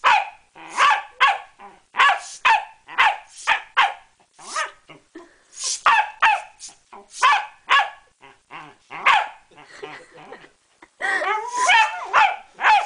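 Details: A female Pembroke Welsh Corgi attacking a bicycle pump barks in rapid, sharp bursts mixed with rough growling, with a human voice near the end.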